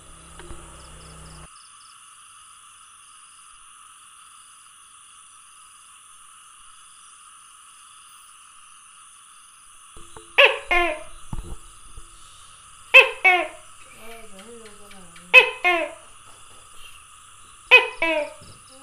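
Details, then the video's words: Tokay gecko calling, recorded 27 May 2020: after ten seconds of quiet, four loud two-part croaking 'to-kay' calls with stacked harmonics arrive about every two and a half seconds, over a steady high electrical whine. "Tokay Gecko Calling"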